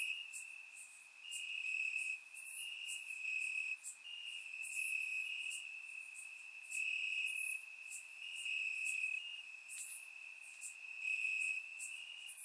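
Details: On a warm Bulgarian summer night, crickets in the grass keep up a dense, high continuous trill, pulsing in strength, joined by rapid brighter insect ticks overhead.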